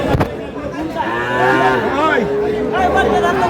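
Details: Dairy cattle lowing at Aftabganj market, Dinajpur, 1/8/26, among improved-breed milk cows and calves; two or three rising and falling moos follow a sharp knock, with people talking nearby.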